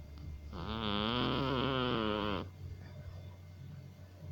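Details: Persian cat in deep sleep letting out one loud, two-second wheezing snore with a wobbling whistle, before settling back to soft low breathing.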